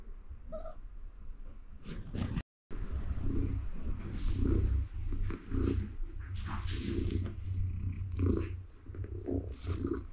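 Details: Female cat lying contentedly on a mat while gently petted, purring steadily in a low continuous rumble with rhythmic swells, plus faint rustling and a brief gap in sound.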